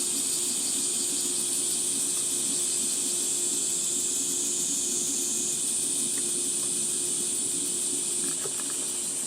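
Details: Shrill cicada chorus in Gifu Prefecture Hyakunen Park, Japan, on a 37°C summer morning walk among dappled shade; a sustained high buzz whose pitch steps down briefly, with soft clicks and a low hum near the end.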